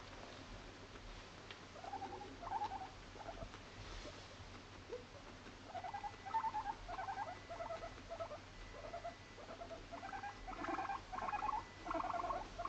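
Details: Moru-chan, a female Abyssinian guinea pig born November 2017, kept at home in an apartment and making everyday chatter: soft squeaks early on, then runs of short, rapid, pulsing squeaks repeated in bursts through the second half.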